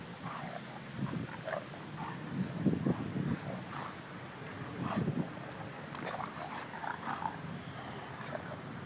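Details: Porkchop the bulldog playing with another dog, filmed by phone on September 25, 2012; low rumbling growls and snorts come in bursts near three and five seconds, among scuffling, clicking movement noises and a muffled low background.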